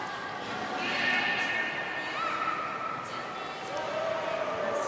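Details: Beluga at Port of Nagoya Public Aquarium on 27 January 2019, during playtime after feeding. Thin tonal whistles glide and rise over about five seconds, one long level whistle in the middle, above a steady crowd hubbub.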